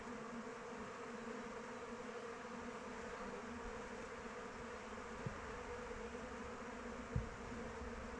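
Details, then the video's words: Swarming flight of honey bees around the hive on an open-weather day; a constant buzzing drone of many wings with a couple of faint knocks late in the recording. "Bees flying around hive"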